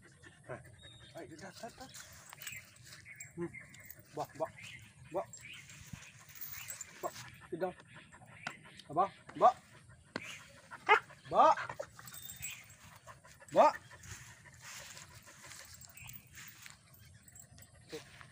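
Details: Pet dog hesitating during training, giving short rising whines and yelps scattered across the recording, densest in the middle, over low background rumble and some speech.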